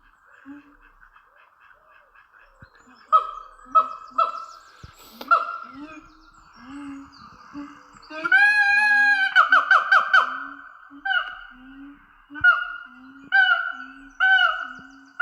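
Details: Captive Siamang gibbons at Dublin Zoo, where males and females call together in a territorial daily ritual: rising, swooping whoops repeated about once a second, building into a dense, loud burst of overlapping hoots, with a steady tone underneath.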